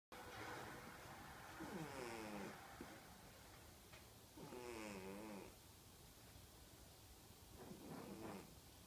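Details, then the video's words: Peanut, a fat 13-year-old female house cat with a serious snoring habit, snores while asleep: three drawn-out rasping breaths about two to three seconds apart, the middle one loudest, over quiet indoor room noise. "Snoring Cat"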